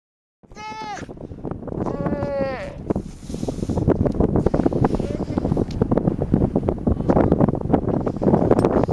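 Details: A nursing Weddell seal pup gives two bleating, harmonic calls, followed by steady wind noise.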